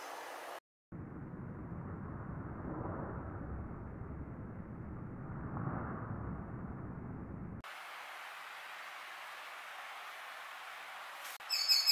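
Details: Steady low engine rumble like a passing vehicle, then a hissing broadband noise, with no animal calls.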